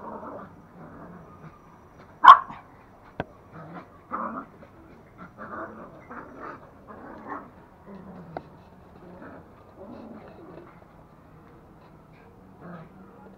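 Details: Pet toy Pomeranians Pomo and Pomy play-fighting indoors in Kathmandu, Nepal; one loud sharp yelp early, then a long run of soft grumbling yips and growly barks, with a person calling Pomo's name.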